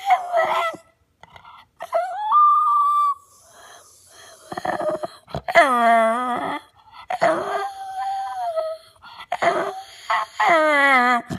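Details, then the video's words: Six-year-old retired show dog Caruso gives whining, yodel-like vocal bursts with sliding pitch, mixed with breathy wheezes and rougher noisy sounds, indoors. "Ultimate Dog Talking Viral Sensation"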